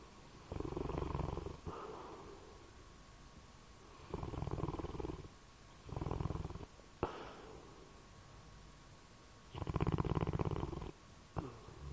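A sleeping bloodhound snores in deep, rumbling bursts that come at uneven intervals.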